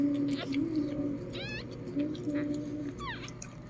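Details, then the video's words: Lhasa Apso puppies being born indoors: two brief, high, sweeping squeaks with stacked harmonics, one midway and one near the end, over a steady low hum and soft Filipino-language voices. "Lhasa Apso Dog Giving Birth Part 4"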